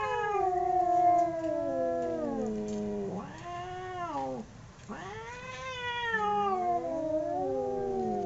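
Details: Fighting domestic cats trading swooping yowls: each howl rises and falls in long arcs, the two voices crossing and overlapping, with short quiet breaks between outbursts.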